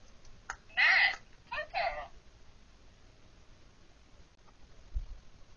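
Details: Pet female guinea pig telling her keeper what she wants, giving two loud, high squealing calls in quick succession, the first longer and steady, the second shorter and broken, then quiet indoor room with a faint knock.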